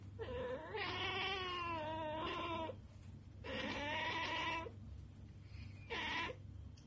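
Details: Chattering domestic cat eyeing unreachable prey: three quivering, trilled calls, the first two long and wavering, the last short and rising, against a faint low hum.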